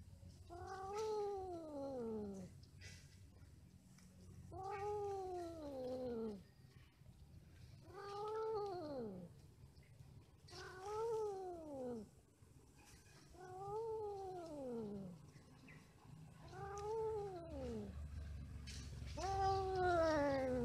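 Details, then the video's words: During mating and quarrelling, a cat repeats a yowl seven times, roughly every three seconds. Each is an arched, moaning wail that rises briefly, then falls. A low background hum runs throughout. "Kucing lagi Kawin ,Cat merried , Cat playing, Cats mating, Cats quarrel"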